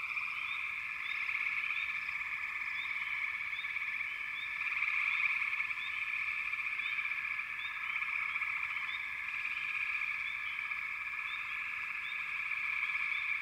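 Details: Dense frog chorus in backwater, a steady layered trill in several bands, with short rising chirps from individual callers repeating over it throughout.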